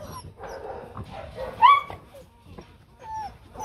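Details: Rottweiler puppies, a litter of four with two males and two females, beside their mother; a single rising whimper, with faint squeaks and a man talking nearby.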